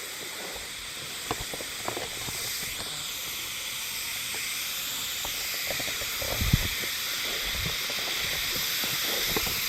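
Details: Continuous shimmering buzz of a Hime-harusemi cicada chorus, unseen singers recorded 19 July 2022 in Yamaguchi Prefecture, Japan; the high droning wash holds even throughout, with scattered faint ticks and a brief low bump.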